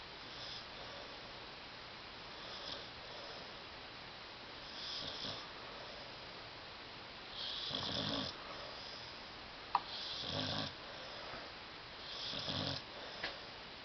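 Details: Tyson, a pet dog, sleeping on a love seat indoors and snoring loudly; several rough, breathy snore bursts arrive every two to three seconds, with quiet breathing in between and one sharp click.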